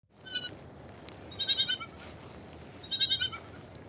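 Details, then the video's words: Small sheep calling: two high, quavering bleats with a pulsing, trembling tone, each about half a second long, over a steady background hiss. "Small Sheep Sound Effects - Sheep Sound - Small Sheep Voice - Small Sheep Call"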